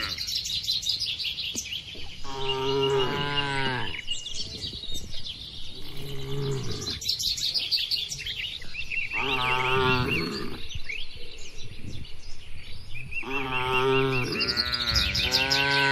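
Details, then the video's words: Dozens of tame cows in a spacious farm barn give several long, throaty moos roughly every three to four seconds, while birds chirp and twitter steadily in the background. "moo bunyi sapi"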